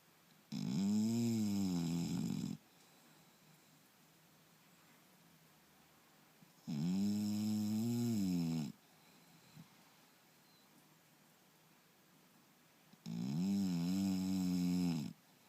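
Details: English Bulldog named Turbo, sound asleep indoors, snoring loudly: three long, rumbling, throaty snores, each lasting about two seconds and arriving roughly every six seconds, with quiet pauses between them.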